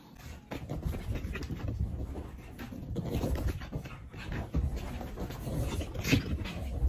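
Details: Pug making low, rough snorting and panting noises throughout, steady breathy grunts with short louder snorts, while a person gives commands such as sit and turn around.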